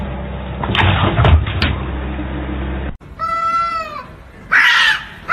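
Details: Kitten meowing: after about three seconds of muffled low rumbling and voices, one steady, drawn-out meow lasts under a second, followed by a short harsh burst.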